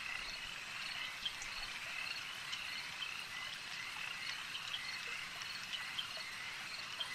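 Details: Frogs calling at a lake: a dense, unbroken chorus of high trilling croaks forms a steady wash of sound, with sharper bright pips popping out every second or so above the constant background hum.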